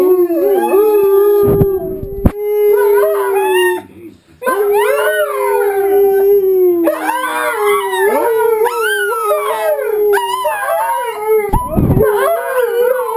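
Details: Two household dogs accompany wolves howling on TV to bond as a pack; sustained overlapping howls, one steady and low, others wavering higher, with a short break midway and a few knocks.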